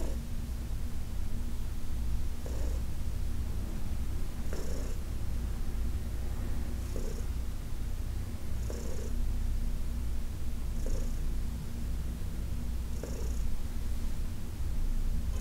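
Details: A deep, even purr from Heidi, a senior cat from the Humane Society of New York City, during a massage session in August 2021, with gentle airy pulses returning about every two seconds.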